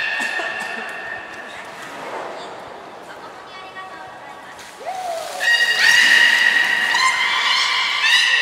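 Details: Captive belugas at Port of Nagoya Public Aquarium training on 14 September 2019: after human speech, a falling glide and then loud, buzzy harmonic squeals repeated in rapid pulses.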